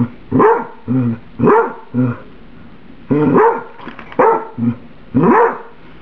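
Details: Pet dog barking at her food, which is too hot after being microwaved spaghetti for about a minute; short harmonic barks come in pairs and singles, about eight over six seconds with brief pauses between groups.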